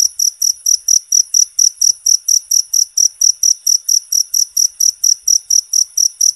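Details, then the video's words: Cricket song for songbird training, a high, ringing chirp repeated in quick regular pulses, roughly three to four per second, loud and clean over quiet background. "Suara Jangkrik Alami Buat Terapi Burung"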